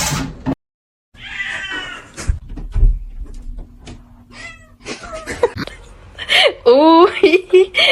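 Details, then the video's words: Kitten meowing indoors: a short harmonic mew early on, then several wavering, rising-and-falling meows near the end, mixed with people talking and knocking noises. "kitten meowing call"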